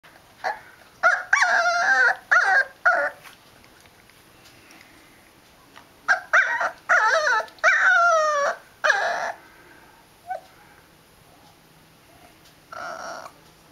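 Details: Liver-and-white male dog growling and howling indoors: three groups of harmonic, wavering vocal bursts, some sliding downward in pitch, separated by quiet pauses, with a short final moan near the end.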